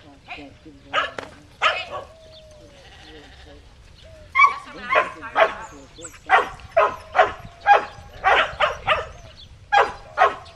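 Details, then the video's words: Shetland Sheepdog Cammie working sheep near Sacramento, California, on July 25, 2010; after a couple of early barks and a quiet whistled stretch, a long run of regular sharp barks follows, about two per second. "Sheltie Herding Sheep"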